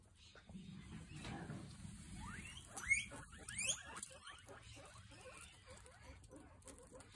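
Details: Guinea pigs coming toward their owner and squeaking; a quick series of rising, whistled squeaks, several per second in the middle, with rustling and pattering of movement beneath.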